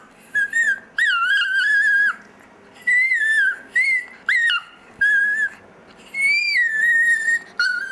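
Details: Dexter the Chihuahua "sings" in a sustained sequence of high, pure, whistled howls, some held over a second and gently wavering, others short rising-and-falling yelps, separated by brief breaths in a steady, song-like rhythm.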